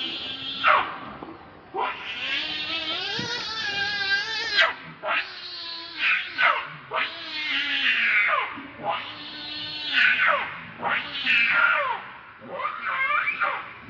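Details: Monkey named Rainbow, very angry while protecting Lucie from Kachoy, gives a run of harsh, strained screams with rich overtones, bursts following one another roughly every second or two, some long and wavering, with little pause between them.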